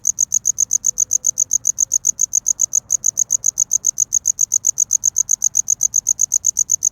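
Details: Cricket chirping to attract a mate in courtship, filmed in close-up: a steady train of high, sharp pulses, about six per second, evenly spaced and unbroken, with only a faint low hum beneath.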